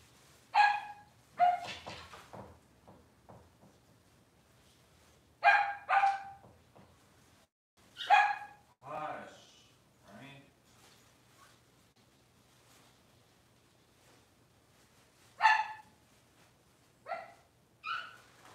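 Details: Six-week-old Cavalier King Charles Spaniel puppies in an indoor puppy pen, handled while being dewormed and having toenails trimmed; sharp, high yelps in short bursts, several clustered then pausing for seconds, with faint voices and quiet between.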